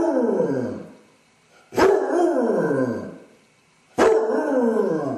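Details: Drawn-out, sorrowful bays from a Basset Hound suffering separation anxiety while home alone: three long descending howls, each starting abruptly and fading over about a second and a half.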